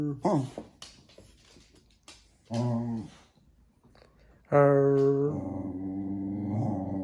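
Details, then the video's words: Jack Russell Terrier seemingly trying to say something to its owners indoors: short clicks and brief grumbles, then a sustained, steady, harmonic moan that slides into a lower, rougher growling tone. "Jack Russell qui dialogue"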